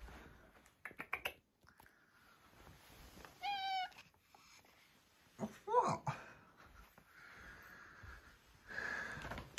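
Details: Maine Coon cat during light-hearted play indoors, giving a short harmonic meow midway and a brief chirping call shortly after, interspersed with a person's coaxing speech and soft handling noises.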